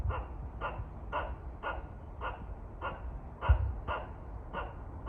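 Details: Squirrel scolding birds at a Shizuoka shrine in Kawazu, Japan: ten hoarse, evenly spaced bark notes in five seconds, one louder knock midway, with low-pitched background noise.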